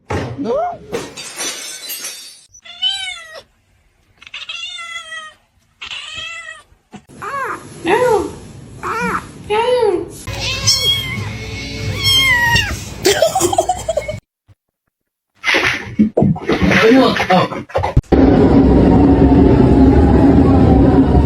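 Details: Kitten meowing over and over in a lively run of high, drawn-out, wavering meows, some rising then falling, with short gaps between them, mixed with people talking and laughing, ending in loud rushing noise.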